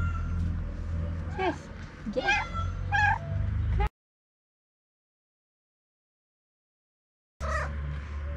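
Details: Ginger cat, one of two that live together, known for gently biting a person's finger, gives three short meows that rise then fall in pitch, a pause of silence, then another brief call; low hum and a voice nearby.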